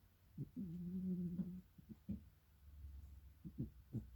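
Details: Domestic cat snoring indoors: low rumbling breaths with a sustained voiced tone of about a second, then short irregular snorts and snuffles spaced a few tenths of a second apart in a quiet room.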